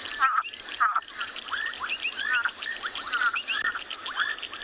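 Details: Recorded brownback tree frog played from a device in the South African bush during an afternoon safari; its squeaking call recalls a lion cub, heard as a run of quick rising squeaks against steady high-pitched insect buzzing and a background frog chorus.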